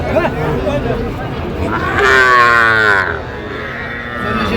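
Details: Small bulls and heifers bought by a young woman farmer; a loud, strained bellow of about a second stands out amid chatter and crowd noise at the livestock market.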